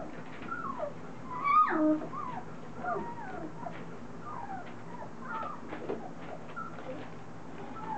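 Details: Several three-week-old Standard Poodle puppies, just starting to get vocal, moving around, mouthing and playing with each other; overlapping thin whimpers and squeaky yelps that slide up and down, with one brief sharp squeal, in a small indoor room.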